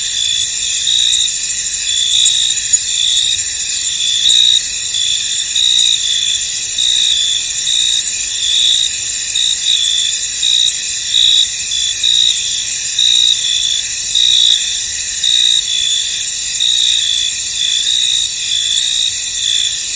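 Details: Crickets chirp in a misty field: a thick, steady shimmer of high insect song, with pulsed chirps repeating irregularly through twenty seconds of calm.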